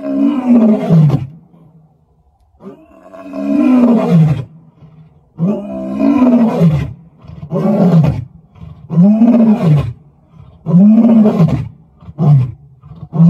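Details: Vuyela, a male lion in Kruger, roaring on 18 July 2024: a deep, moaning roar opens the bout, then a string of shorter, falling grunting roars follows roughly every one and a half seconds.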